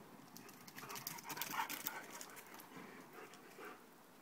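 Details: Two dogs playing together, one panting in quick, breathy bursts, about three or four per second, irregular and soft, with hissy noise throughout.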